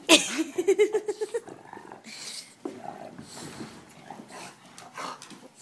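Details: Gizmo, a dog worked up in hyperactive play indoors, gives a fast pulsed growl, about eight rough throbs in a row, then grumbling, breathy noises while a person talks to him.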